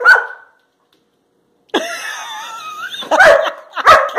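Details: Two Labrador Retriever puppies jump up for a banana raised above their heads, recorded March 21, 2018; a short yelp, a pause, then a long wavering whine followed by two sharp yips.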